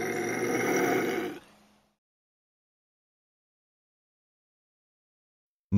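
A bobcat gives one harsh, raspy growl lasting about a second and a half, followed by silence and a brief thump at the very end.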